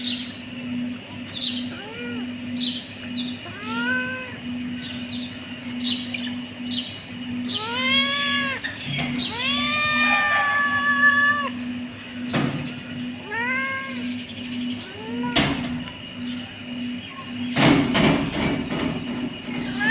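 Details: Kittens mew repeatedly in quick clusters, with a louder, rising-falling chorus of overlapping cries midway. Sharp knocks and rustling come near the end, over a constant low hum.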